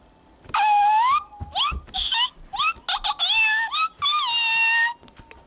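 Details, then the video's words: Pet cat giving a rapid series of meows indoors, long whining calls alternating with short chirpy ones, pitch sliding up and down, almost continuous for four seconds; low thumps underneath. "Meow Cat"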